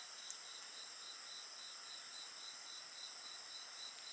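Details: Insects calling by a bonfire, a rapid pulsed chirping repeated roughly three to four times a second layered over a constant high-pitched trill, with barely any fire noise.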